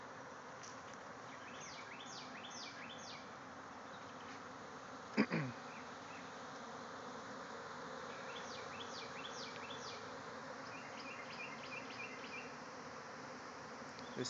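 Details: Thousands of bees swarming out of a backyard hive, flying all around: a steady, dense buzzing hum throughout, with bursts of high chirping birdsong and a brief sharp knock midway.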